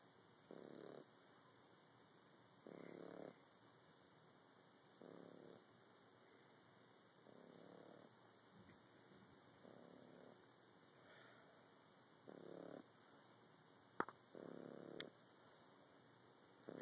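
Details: French Bulldog puppy snoring: soft, rasping breathy snores repeat roughly every two seconds over a steady faint hiss, with a couple of sharp clicks near the end.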